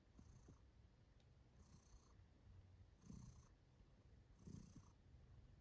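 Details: Kiwi, a female domestic cat, purring contentedly while enjoying herself; a low, steady rumbling purr with soft breathy swells roughly every one and a half seconds, quiet and close.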